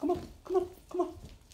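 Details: Norwegian Elkhound/German Shepherd mix puppies, born 11 October 2018, giving three short, whiny yelps, evenly spaced about half a second apart, in a small indoor space.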